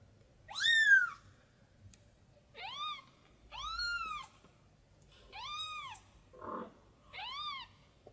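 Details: Lost tiny kitten crying for its mother cat: five bright arched meows, the first loudest, spaced about one and a half seconds apart, plus one brief low muffled sound near the end.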